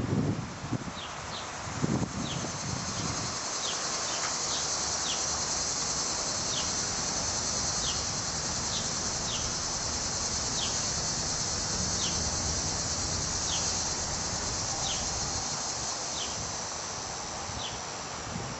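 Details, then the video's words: Cicadas in Munster, Indiana, emerging from the ground to molt and mate in July heat: a steady, high-pitched buzzing drone holds throughout, over a string of short descending chirps about every second and some low rustling at the start. "Cicada Song"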